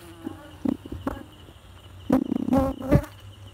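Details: Honey bees at their hive making honey, loud close buzzing in quick irregular bursts as individual bees fly near, droning wingbeat tones layered over a low hum.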